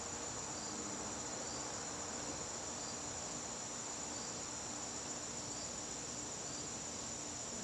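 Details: Garden crickets calling during a September evening: a continuous, even, very high ringing trill that never pauses, set against a broad hiss of background noise.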